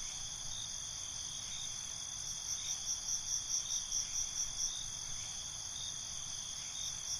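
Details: A nighttime cricket chorus of layered high trills, with one cricket's rapid chirp train swelling for a few seconds in the middle, then fading into the constant background shimmer.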